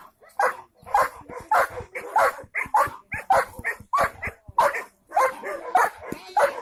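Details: Rapid barking from a German Shepherd dog, loud clipped barks coming more than one per second, some in quick doubles, with brief gaps and a quiet background.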